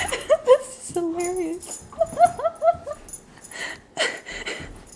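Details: Kiva, a three-year-old pure white female husky with one blue eye and one brown, vocalizes while playing with tennis balls: wavering, whining howl-like calls that bend up and down in pitch, several short phrases, followed by scuffling noises.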